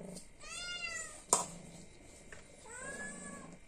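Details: Hungry domestic cat meowing to ask for food indoors: two drawn-out, slightly falling meows about two seconds apart, with a sharp click between them against a quiet room background.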